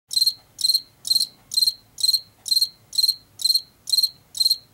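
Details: Field cricket in Washington, late summer or fall, chirping steadily: short pulsed chirps with a bright tone near the top of the range, about two per second, evenly spaced over a quiet low background.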